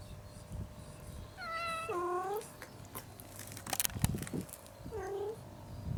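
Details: Domestic cat calling out from hunger, wanting food quickly; its loud voice startles another cat into running off. Two-part meow rising then dropping into a low moan, a thump and clatter, then another short whining meow.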